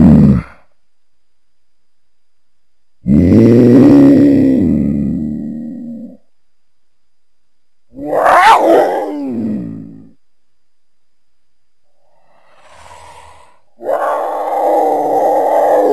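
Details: Cougar, also called mountain lion or puma: three separate loud, harsh, low voiced growling bursts, each lasting about two to three seconds, with silent gaps between them and no other sounds.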